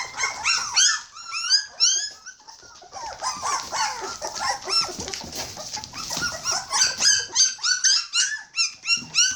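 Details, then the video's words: A litter of hungry Border Collie pups at 21 days old, whimpering and squealing in rapid, uneven succession, with piercing high cries, arching whines and a brief rougher, noisier stretch midway. "Border collie puppy's are hungry"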